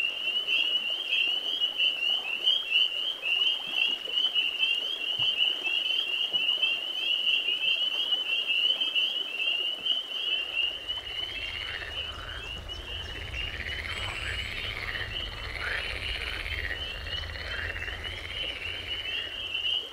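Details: Spring peeper chorus in spring: a dense, unbroken band of high, shrill peeping whistles, with a second layer of lower, rolling trills and a faint low rumble joining halfway through.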